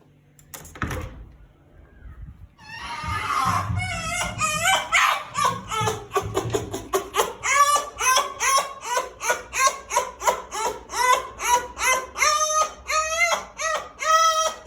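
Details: A fox in Russia gives quick, high, wavering whines and chirps, happy noises as a familiar woman opens the door, then she pets it.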